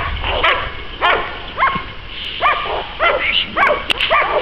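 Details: American Staffordshire Terrier at a dog-training session at the START stadium, Łódź: single clear barks spaced roughly half a second to a second apart, each a short rising-then-falling yelp, about seven in total.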